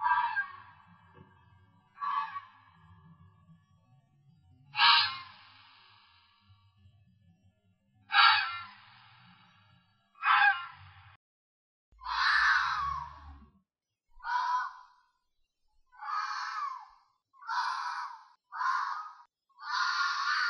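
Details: Red fox screams: a series of harsh, hoarse, noisy calls, each about a second long. They come every two to three seconds and grow shorter and more clipped toward the end, with faint low rumbling beneath the first half.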